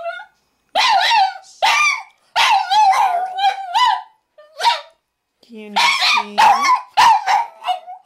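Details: A male Boston Terrier, prompted by his owner asking him to sing, sings in drawn-out, wavering howls broken by short yips.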